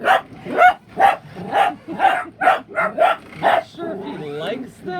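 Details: A male dachshund barks at toy Super Mario and Luigi RC cars in a quick, insistent series of sharp, mid-pitched yaps, roughly two each second. A second dachshund may also bark while hiding. Near the end, whining electronic toy sounds and possibly a voice come in.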